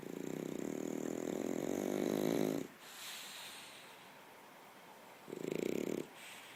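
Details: A French Bulldog snores himself to sleep in long, rough, rattling breaths separated by quiet pauses.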